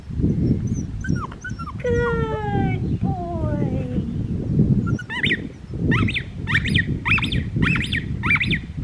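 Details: Blue merle male Australian Shepherd puppy, six and a half weeks old, recorded Monday, April 18, 2022: high, thin whines sliding downward, then a run of short sharp yips roughly once a second, with soft human voices underneath.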